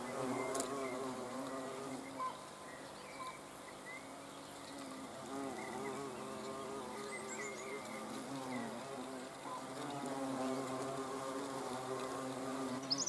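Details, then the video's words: Flying hornets filmed 30 June 2020 create a layered, wavering hum, the buzz rising and falling as they pass near and away; soft bird chirps and a sharp click occur in the background. "Hornissen vor der Kamera"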